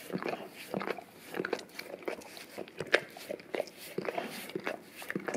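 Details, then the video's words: English cream golden retriever, male, licking peanut butter off an Orapup tongue-cleaning brush taped down to a tile floor indoors to clean his breath and tongue. Quick, wet smacking licks come irregularly, about two or three each second, in a small room. "ASMR Dog Licking Orapup Tongue Cleaning Brush Taped Down to the Tile Floor - Golden Retriever"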